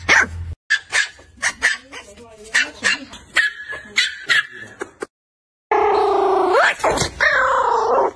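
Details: Dog barks in a quick, uneven burst of short yaps, then a break followed by louder whining, squealing vocal sounds.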